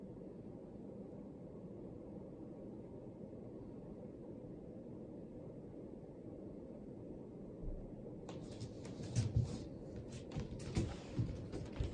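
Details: A steady low indoor hum runs throughout, joined near the end by faint clicks and rustles, with no animal sound heard.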